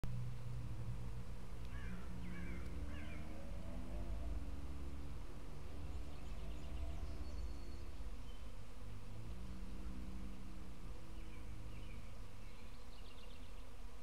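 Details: Swarm of kept honeybees on Wednesday, 6 June 2012, giving a steady low hum with wavering tones throughout, joined by a few faint bird chirps.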